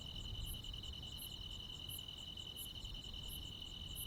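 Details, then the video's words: Crickets and insects sounding through a rural summer night, with a steady high trill and widely spaced, very high bright chirps roughly every 0.7 seconds, plus faint low background noise. "시골 야간 귀뚜라미, 벌레 소리"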